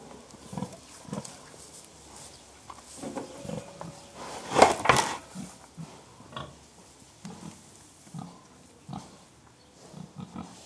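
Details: Several contented pigs grunting softly and rhythmically, short low grunts repeating in quick irregular succession, with one louder burst of broadband noise near the middle.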